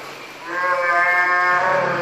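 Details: Northern fur seal bull in the Pacific giving a loud, harmonic, bleating cry that holds for about one and a half seconds with a slight waver, over a faint low hum.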